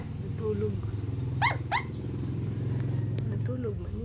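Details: Sleeping puppy gives two short, high, rising squeaks in quick succession near the middle, set against a steady low hum.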